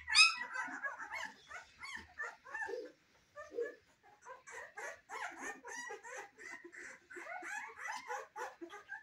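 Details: Newborn-stage Cane Corso puppies, first weeks of life: a steady stream of thin, wavering whines and squeals from several pups at once, opening with a sharp loud cry, then continuing at a moderate level.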